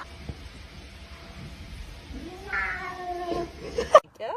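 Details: A pet cat gives one drawn-out meow, rising in pitch and then holding, with a faint background hum. A sharp knock follows, then a short wavering sound and human voices.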